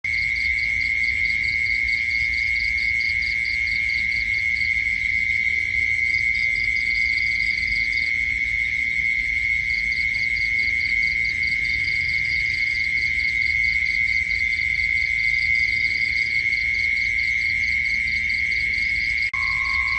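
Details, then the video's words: Insects at night: rapid, high pulsed chirps come in trains lasting a few seconds with short pauses, over a steady, piercing high continuous whine. A lower hum enters near the end. "Annoying Insect Sounds at Night"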